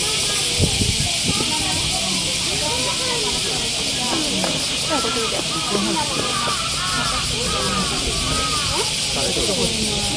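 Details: Cicadas fill the summer air at Oji Zoo with a steady, high, hissing drone while visitors talk nearby near a panda.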